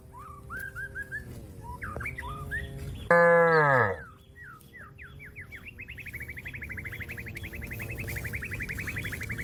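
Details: Cow calling a grazing companion in the field: a single loud moo that drops in pitch over about a second, set among whistled bird notes and a long, fast bird trill that follows.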